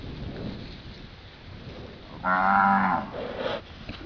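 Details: Tangled heifer stuck in a tree lets out a short, loud, buzzy moo of under a second, with rich harmonics, amid rustling and outdoor background noise.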